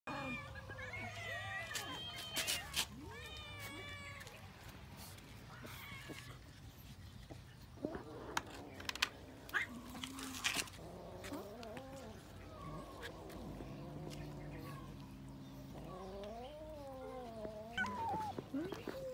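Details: Cats eating raw fish give several wavering, harmonic meows, some short and some drawn out and rising then falling, mixed with sharp chewing and clicking noises and a low steady background hum.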